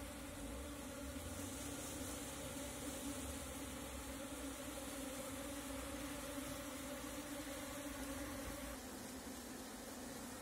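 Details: Natural Apis cerana swarm captured using a bee cap: continuous buzzing drone holding steady low pitches for ten seconds, slightly easing near the end, with a faint rushing background.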